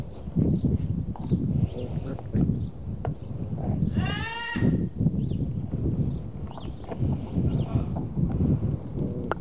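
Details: Border Collie puppies aged two months, litter of Pam and Sky, at play: a single brief descending, harmonic yelp midway, surrounded by steady low rumbling and scuffling movement sounds throughout.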